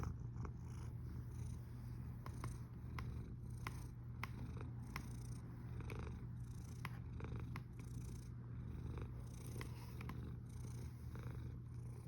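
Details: Cat snoring on 1 August 2021 at 13:27: a steady, low, continuous rumble with little change across the clip and a few faint ticks above it.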